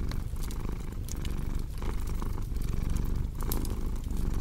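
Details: Cat's low purr rising and falling in short breath-driven waves, with bright pops and crackling from a fire over the top.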